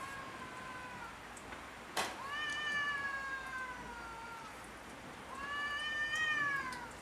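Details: Cats fighting over territory on house roofs give two long, harmonic, wailing yowls, each slowly falling in pitch. A sharp knock sounds just before the first.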